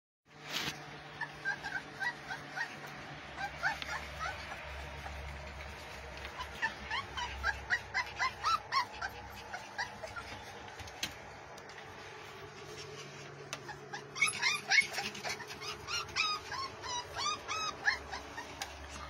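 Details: Pit Bull puppies playing and biting, giving rapid high whimpers and short yips in irregular bursts, several rising squeals close together, with a low steady hum underneath throughout.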